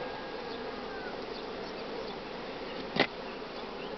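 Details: Spring honey bee colony growing while its brood nest is broken up during beekeeping work: continuous even droning buzz throughout, broken by a single brief knock late on.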